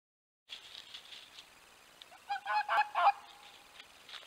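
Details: Dog fox calling to its mate, the vixen, at the den at night; a run of hoarse, barking yelps repeated rapidly, rising in loudness toward the end of the series, with faint rustling between calls.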